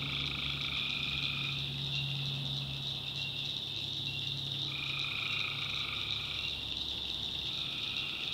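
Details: Night chorus of tree frogs in North Carolina backwoods, a constant high shrill band with prolonged tonal calls lasting up to two seconds, three spaced across the stretch, over a low steady hum.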